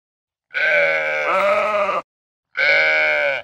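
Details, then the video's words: A sheep on a farm gives two nasal, harmonic bleats: a long wavering one that breaks partway through, then a shorter, steadier one after a brief pause. "Listen to the sheep"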